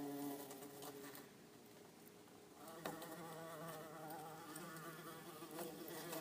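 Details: Two bumblebees, an orange-belted and a yellow-faced bumblebee, in an insect tank give a steady, droning wing buzz with stacked harmonics, rising and falling slightly as they move.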